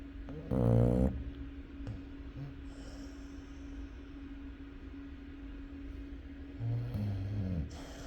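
A Chow Chow dog snores, each breath a deep, vibrating rumble lasting about half a second to a second. Two snores come roughly six seconds apart, with a constant low electrical hum underneath.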